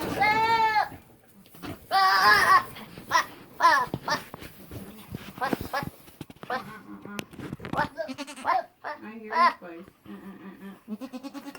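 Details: Buckling, a young male goat, bleating: loud wavering cries at the start and near two seconds, a few short bleats after, while people talk over much of the recording.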